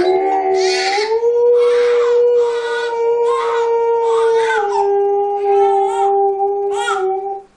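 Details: Alaskan Malamute dog playing with babies gives a long, steady howl holding one level pitch that dips slightly midway, while shorter bursts of crying-like vocal sounds overlap it throughout.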